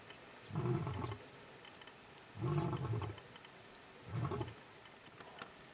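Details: Lion (Panthera leo) in the Kalahari at Piper Pan, recorded from a camper, gives deep, rumbling roars about a second long, repeated every couple of seconds.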